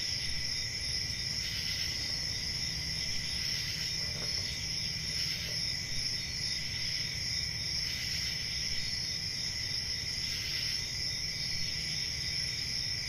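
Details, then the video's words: Crickets on a summer night in a forest, a dense chorus of steady high-pitched trilling that never stops, with brighter chirp bursts every few seconds over a low constant rumble. "Summer Night Cricket Sounds"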